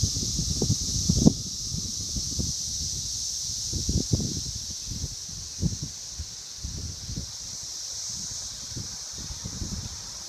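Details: Brood V periodical cicadas, 17-year Magicicada, near Vine and Walnut in Logan, Ohio. Their high continuous buzzing drone runs underneath frequent low thuds, knocks and rustling sounds that come and go close to the recorder.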